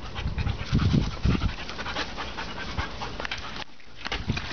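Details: German Shepherd dog panting: rapid breathy, noisy huffs in an uneven rhythm, louder in the first second and a half, then softer steady breathing with a brief pause near the end.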